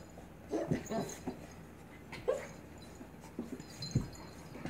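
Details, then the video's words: Blue Pit Bully puppy "dominating" an adult Staffordshire Pitbull Terrier during play; bursts of breathy panting and short whimpering yips, roughly every second, between quieter pauses with faint scuffling. "GORGEOUS Blue Pit Bully Puppy "Dominating" Adult Staffordshire Pitbull Terrier"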